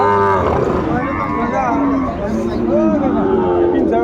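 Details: Sahiwal bull calves at a cattle market where a Dhaka farmer is buying, 29 December 2024; a low, drawn-out moo with layered harmonics opens the clip, surrounded by crowd chatter and people bargaining nearby.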